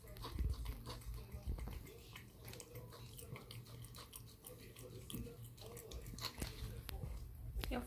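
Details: A male Sphynx kitten purrs in a steady, low rumbling drone while asking for food.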